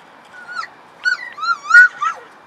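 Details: Puppies playing in the morning, said to be hungry, give high whining whimpers: five short tonal cries, some rising and falling, one wavering upward and one sliding down at the end, in a quiet room.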